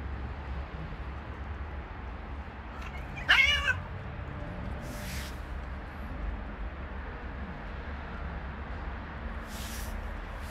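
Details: Street cat, a female attacked by three male cats, lets out one short, sharp, harmonic yowl lasting about half a second, with steady low rumble and a few brief hissing noise bursts behind it.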